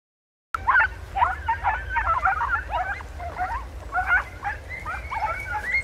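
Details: Podencos giving tongue while hunting in bramble in Campo Arañuelo; several hounds bark and yelp together in a dense, overlapping chorus that starts abruptly after a moment of silence and continues without pause.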